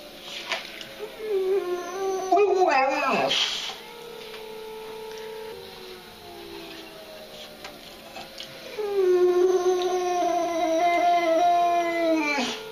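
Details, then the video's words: Indoors, the dog Mr. Darcy howls while a siren sounds outside. A rising, wavering howl peaks in a sharp cry, then long steady tones follow. A second sustained, slowly bending howl runs through the last few seconds. "Mr. Darcy howling"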